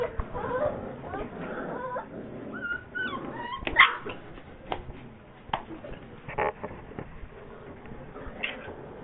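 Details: Bull Terrier puppies in Bogotá, July 2013, giving soft whimpers and short high yips, a few rising and falling whines in the middle, mixed with scattered knocks and rustling.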